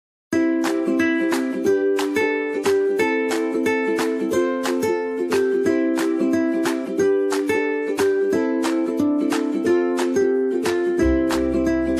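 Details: Steady plucked ukulele music with repeated bright chords throughout, and no animal sound heard.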